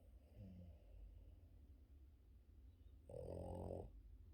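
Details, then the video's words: Loud morning-sleep snoring from a Boston Terrier dog: a quiet snuffle at the start, a pause, then one strong rasping, rattling snore lasting under a second, with low hum throughout. "Boston terrier dog Yoda loud snoring during his morning sleep"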